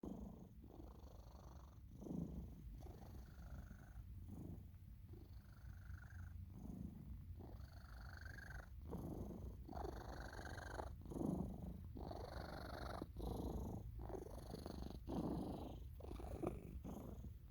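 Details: Oliver, a hairless Sphynx cat, snoring and purring while asleep during belly rubs indoors: a low, breathy rumble swelling and easing in steady breath cycles about every 1.3 seconds, with rasping inhalations and no other sounds.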